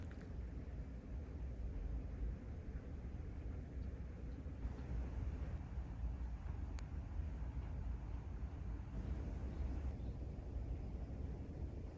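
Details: Low rumbling wind and storm noise fills the night, steady and broadband with no animal calls, only faint clicks and a brief tick near seven seconds.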